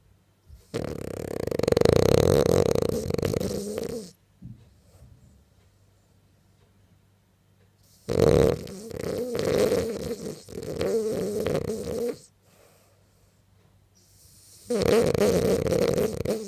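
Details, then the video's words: French bulldog snoring and dreaming while asleep indoors: three long rough, rasping snore bursts of about three to four seconds each, separated by quiet pauses. "French bulldog snoring and dreaming"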